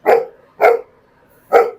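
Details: A public-friendly pit bull kept for visitors to walk at a resort adventure park in Lonavala, India, gives three deep, forceful barks, each a short burst with a pause between.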